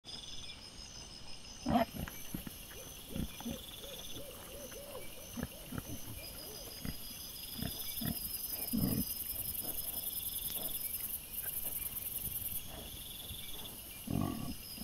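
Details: Wild boar filmed by a camera trap on 17 September 2024, giving low, rough grunts in short bursts, loudest near the second and ninth seconds and again at the end, over steady high insect-like buzzing and faint background hiss.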